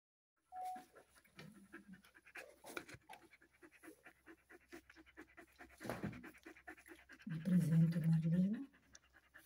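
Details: Border Collie giving birth, four puppies born so far and one hour old; quick steady panting, a short low whine early on, then a long, low, moaning whine with rich harmonics near the end.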